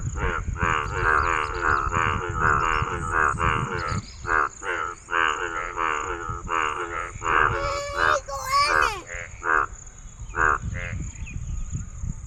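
A male frog croaks in a rapid series of short, nasal, harmonic pulses.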